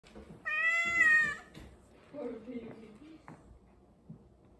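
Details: Domestic cat standing up while eating cheese from its owner's hand: one loud, drawn-out meow lasting about a second, followed by a person's soft speech and faint clicks.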